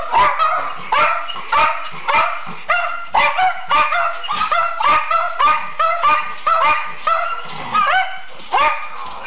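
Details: Schipperkes singing on request produce a long, busy chorus of yipping howls with rising inflections, pulses coming about every half second, overlapping voices and occasional sharper bark-like notes.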